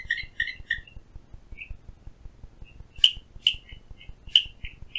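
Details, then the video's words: Outside a window at Phillipskop Mountain Reserve near Stanford, Western Cape, a Clicking Stream Frog gives scattered sharp high clicks, a quick triple burst first, then sparse single taps over a soft low steady ticking. "Clicking Stream Frog"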